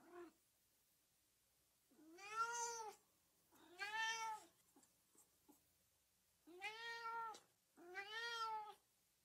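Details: Meowing cat heard in a quiet room, sounds meant to stir up dogs: four long, arched, harmonic meows in two pairs, about fourteen per minute, with faint clicks between them.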